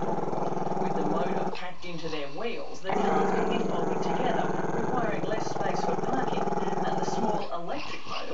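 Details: Camera-shy Chester, a Maltese-Shih Tzu puppy, keeps up a long rough growl aimed at the camera, a continuous vibrating rumble briefly broken by short human voice sounds near the start and end.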